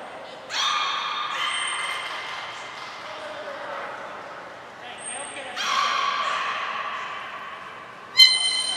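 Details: During a whole-group training session at Port of Nagoya Public Aquarium on 2 April 2023, belugas give two bursts of rich harmonic, level calls about five seconds apart; thin high whistle blasts come between them, and a sharp click follows.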